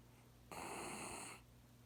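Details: Haneul, a sleeping pet poodle, gives a single snore lasting about one second, a harmonic, rasping rush of breath that starts abruptly and fades out, set against a quiet indoor background with a low steady hum.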